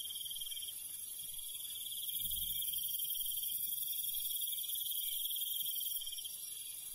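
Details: Cricket chirping on a country night: a rapid, even trill running throughout, with a piercing high insect hiss rising in the middle and soft low background rumble.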